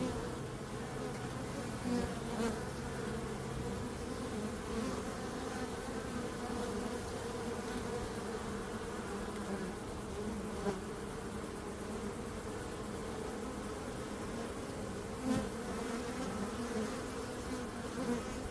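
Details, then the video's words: Continuous swarm buzz of bees, a thick layered drone with occasional faint clicks and small bursts rising above the steady hum. "Bees Sound"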